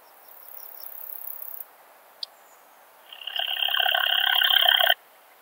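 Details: Siegersdorf, Austria, 15 June 2020: a steppe bush-cricket heard through a Pettersson D 100 ultrasound detector, faint high hiss and soft ticks, then one sharp click before a loud, dense, grating buzz lasting nearly two seconds.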